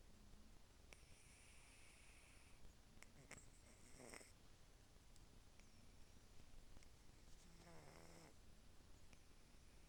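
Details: Sleeping cat snoring quietly indoors: soft, low rumbling breaths with faint nasal puffs, and a brief higher voiced sound near the end.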